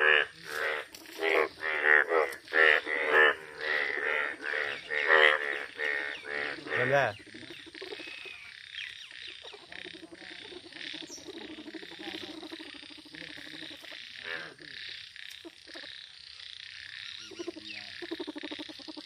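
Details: Yellow frog croaking in loud, rough, nasal bursts repeated about twice a second for the first seven seconds, then a much quieter stretch with faint distant croaks and a background hiss.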